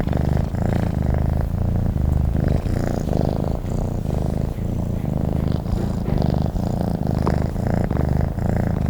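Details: Sleeping domestic cat purring continuously, a deep buzzing rumble broken into rhythmic breaths roughly every second, close and unaccompanied.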